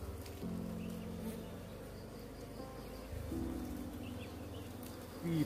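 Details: Wild forest honey bees at their nest during a honey harvest by villagers in a rural forested area; a low, steady droning buzz with shifting pitch bands, with people talking nearby.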